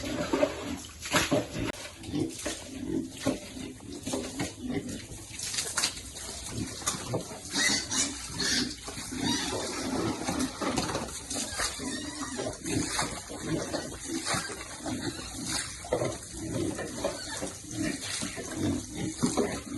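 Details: Piglets happily wallowing in cool water; steady sloshing and splashing nearly continuous, with low grunts mixed through it.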